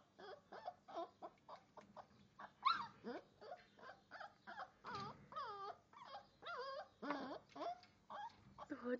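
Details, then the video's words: Great Dane x Bullmastiff puppy, five weeks old, crying at the door to be let in: a rapid series of short, squeaky whimpers with bending pitch, some rising and falling yelps, repeated steadily over a faint low hum. "great dane x bull mastiff puppy crying"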